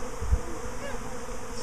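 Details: Swarming honey bees that have left their hive a week after an earlier swarm: a steady, droning hum with faint overtones, a low thump near the start.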